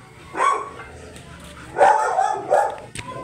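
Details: Murphy, a giant yellow Labrador Retriever in Manaoag, Pangasinan, gives three loud, short barks, one near the start and two close together toward the end, separated by quiet background hum.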